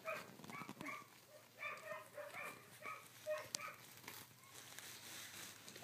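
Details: Sixteen-day-old collie puppies, filmed 3 June 2013, give a steady run of short, high whimpering squeaks. Some are flat and some slide down, and they come several per second against a soft background hiss.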